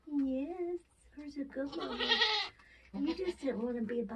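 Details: Goats being born on a homestead, Nigerian Dwarf breed, in kidding season: a rising nasal bleat opens, followed by a harsh breathy cry and more wobbling bleats, mixed with people talking nearby.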